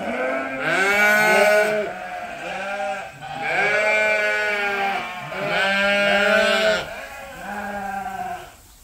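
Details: Sheep on a large registered Suffolk and Poll Dorset farm, bleating while munching grain; several loud, wavering, harmonic bleats, each about a second long, overlap and repeat in bursts roughly every two seconds.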